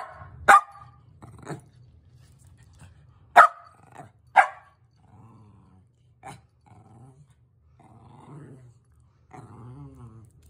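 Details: Playful Sheltie, Dancer, goading Mumbles into a chase: loud isolated barks at irregular gaps, the strongest three within four seconds, followed by softer whining growls and grumbles.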